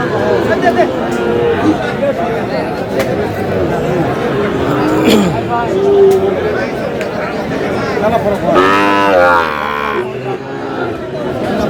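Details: Sahiwal bull calves at a crowded cattle market in Chattogram, Bangladesh, 13 June: a loud drawn-out bellowing moo near the end, shorter lowing calls earlier, over constant crowd chatter and talking.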